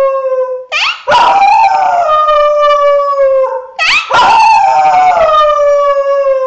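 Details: Female Thai Bangkaew dog, six years old, giving two drawn-out howls, each starting with a sharp upward yelp then settling into a steady, slightly descending harmonic tone lasting a few seconds, loud and clean with no background noise.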